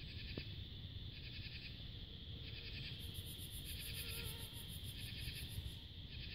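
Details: Cicadas and other insects on a peaceful summer twilight in July 2022 under a crescent moon: steady high buzzing pulses repeating about once a second, with a higher shrill insect trill joining midway over a low constant background hum.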